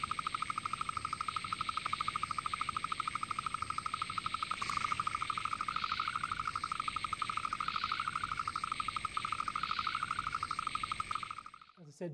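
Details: A painted burrowing frog in the Murray Valley, South Australia, gives its mating call: one unbroken, fast-pulsed trill at an even mid pitch for about eleven seconds. It stops abruptly, leaving a few soft clicks.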